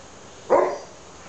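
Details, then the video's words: Alaskan Malamute named Twilight play fighting in a backyard with another malamute, Bourbon, after he stole a piece of carrot from her; a single short rough vocal burst, loud and brief, rising sharply then fading within a third of a second. "Alaskan Malamute - Twilight & Bourbon Backyard Rumble"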